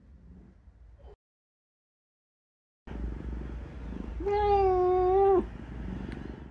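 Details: Pet cat that dislikes having its claws trimmed lets out a single long, steady, slightly wavering moan-like meow after a brief silence, with low background rumble and handling sounds.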